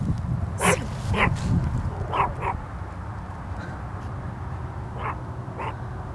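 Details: Small Chihuahua trying to attack a huge dog on the far side of a creek, half a football field away. Sharp, bright yaps come in irregular bursts, about six in all, some paired, over low rumbling background noise.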